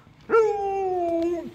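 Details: Alaskan Malamute responding to an unseen ambulance with a short howl, starting with a sharp onset and holding a level tone for about a second before dropping off, while a person speaks briefly just before.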